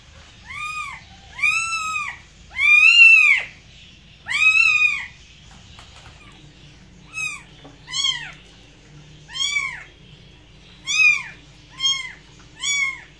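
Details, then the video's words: Domestic cat meowing in a small indoor room, arched harmonic meows repeated irregularly, long and loud early, then shorter, quieter meows after a pause; low background hum throughout. "Cats Voice - Cats sound - Cats Meowing"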